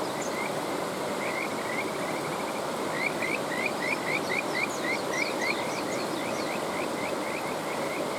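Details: A Kajika frog chorus beside a flowing stream, with scattered rising notes at first, then a fast run of clear, upward-sliding whistles repeated several times a second, faint higher trills overlapping, and constant water noise throughout.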